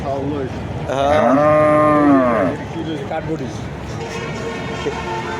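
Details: Cattle lowing once, a rich moo of about a second and a half that dips slightly at the close. Recorded at the Kuchiya Mara cattle and goat market on 26/5/2026, with human voices and market noise continuing after it.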